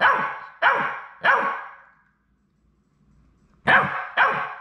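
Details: Labrador Retriever puppies on their last day at High Desert Labradors before going home to new families; three sharp yappy barks in quick succession, a quiet pause, then two more barks.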